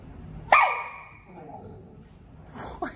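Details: Excited pit bull vocalizing ahead of a car ride: one sharp, high, bending yelp-like bark with a strong harmonic whine that trails off, then quiet and a short rising whine near the end.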